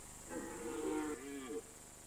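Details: Rutting red deer on an alpine pasture in September or October, giving one sustained, tonal bellow that swells, dips and rises again for over a second before cutting off, with faint background hiss.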